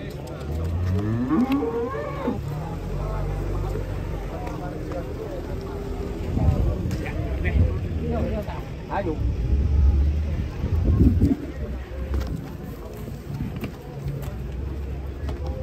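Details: Several huge cattle descending from a truck in a panic give rising, harmonic moos early on, then fainter scattered lows amid knocking, scraping and a continuous deep mechanical hum.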